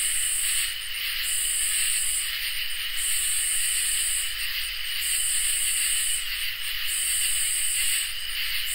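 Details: On a summer night, crickets and katydids fill the air with continuous shrill song; high buzzy katydid phrases stop and start every one and a half to two seconds above steady, lower trilling.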